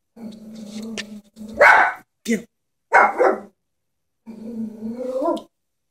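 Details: Chihuahua frightened by a stuffed toy horse: a low, steady buzzing growl, two harsh barks, then another drawn-out growl that rises slightly at the end.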